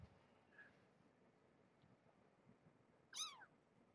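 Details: Single short meow from a cat in a shelter foster room with a mother cat and her kittens during a morning check, rising then falling with bright harmonics, near the end after quiet room noise and faint rustling.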